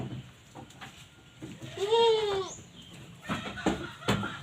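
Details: Jawa Randu goat in a breeding herd fed green fodder and pakchong grass gives one short, arched, nasal bleat that rises and falls, set among scattered knocks, rustles and a faint rooster note.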